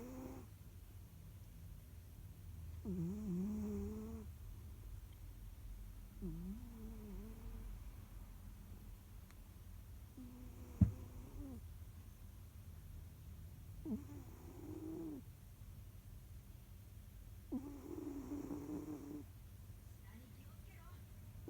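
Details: Jiji the house cat asleep and snoring indoors: a run of five soft, buzzy, harmonic snoring breaths, one every three to four seconds, with a faint click and a constant low hum in the room.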